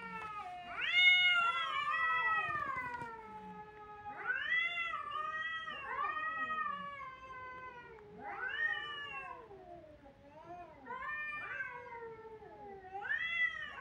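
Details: Crying kittens produce about six arched, whining meows spaced a couple of seconds apart, each rising then sliding downward, varying in loudness.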